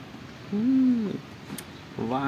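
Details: Gentle orange cat living at a pagoda, playing with a person: a drawn-out, low meow that rises, holds, then falls over about half a second, with a second meow starting near the end over quiet room noise.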